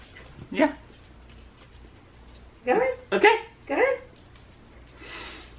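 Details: Tifa the corgi, shut inside a cage meant for chickens indoors, gives several short rising whine-like yelps in a cluster around the middle, with a woman talking before and a soft breathy sound near the end.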